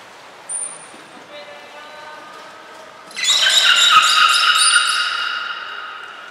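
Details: Beluga at Port of Nagoya Public Aquarium during a training session with Nana, Mirai and Niko, 11 January 2021: a brief high pure tone, faint stacked tones, then a loud, bright, buzzy harmonic call sustained for about three seconds.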